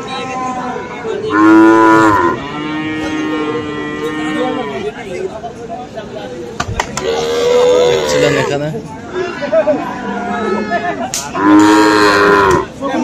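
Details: Three loud, drawn-out moos roughly five seconds apart, each rich in stacked overtones, from Friesian and crossbred bulls and calves at the Aftabganj cattle market in Dinajpur on 21 February; a steady hum of people fills the gaps.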